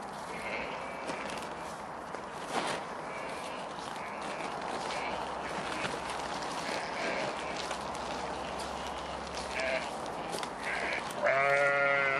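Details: Black and white Wensleydale sheep, ewes and lambs, at feeding time; steady background noise with a few faint higher calls, then a loud harmonic bleat near the end.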